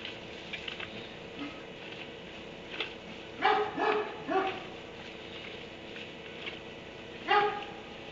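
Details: Dog shut in a kennel in a barn at 3am, giving a few scattered barks: a pair of sharp barks near the middle and one more near the end, over a steady background hiss.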